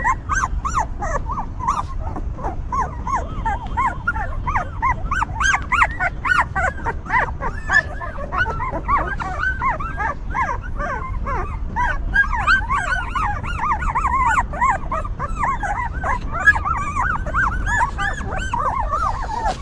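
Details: Stray mother dog tending her newborn puppies; the pups squeal and whine constantly, a dense chorus of short arched whimpers, several overlapping at once, over steady low-frequency noise.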